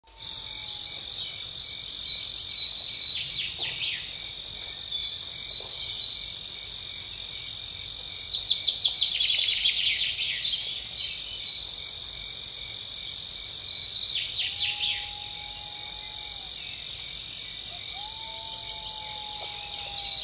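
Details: Grasshopper in natural scenery, a dense high-pitched shrill buzz running steadily throughout, with a few brief chirps and two short level whistles from another creature toward the end.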